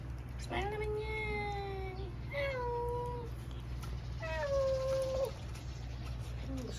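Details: Pet domestic cat indoors giving three long, drawn-out meows, each sliding slightly downward and lasting about a second, with a steady low hum underneath and faint background music.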